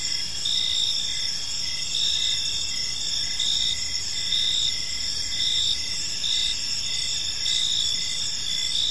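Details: Gentle evening chorus of crickets in a park, high ringing trills overlapping without pause while one caller repeats brief pulsed chirps at a steady rhythm, backed by low, quiet ambient noise.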